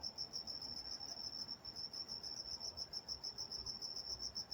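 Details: Crickets chirping after dark in Walnut, California, a high thin pulsing tone, less even and quieter, set against a murmur of low ambient noise.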